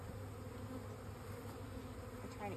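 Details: Continuous low buzzing of honey bees, an even drone with a faint higher sweep near the end.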